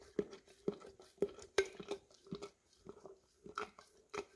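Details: Licking peanut butter from a nearly empty jar, an English cream Golden Retriever makes sharp, wet tongue strikes with a resonant jar ring, roughly three per second, then softer scraping laps, captured indoors on a Samsung Galaxy S10e.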